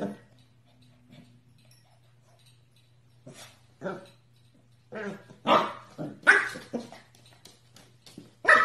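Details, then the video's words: Dog indoors, part of a funny-dog compilation, barking in short broadband bursts that start after a quiet stretch and come in an irregular run of about a dozen barks, getting louder toward the end, with a low steady hum underneath. "Anjing menggonggong lucu"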